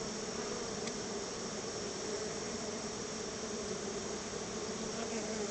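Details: Honey bees crowding around their backyard hive while being fed store-bought honey as a treat; a steady, low droning hum of many bees continues throughout under a dense, constant hiss.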